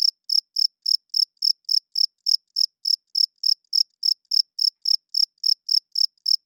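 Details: A cricket chirps loudly at night. Crisp, evenly spaced high-pitched pulses come roughly every quarter second, around two dozen in under seven seconds. No other sounds.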